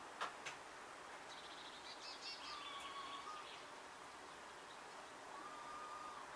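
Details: A pair of female wild red squirrels exchanging distant calls: a few sharp clicks open, then a burst of buzzy chatter and two long, faint, level whistles, all set in soft continuous background noise.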